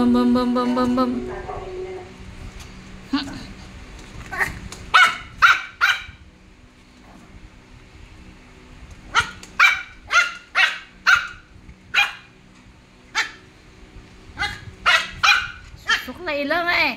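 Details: Five-month-old Poodle barking in short sharp bursts, scattered singly and in quick runs of three or four, with a woman talking to it in Filipino at the start and between barks.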